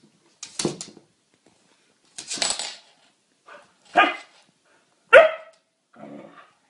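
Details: Pet dog indoors, in a lively scene where dogs are said to like lemons, gives five sharp barks spread over about six seconds, the later ones louder and more ringing, with a softer grumbling bark at the end.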